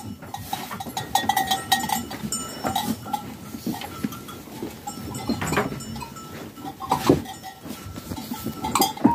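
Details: Flock of farm sheep with lambs: several overlapping nasal bleats rise and fade through the recording, set against steady shuffling, knocking and general pen noise.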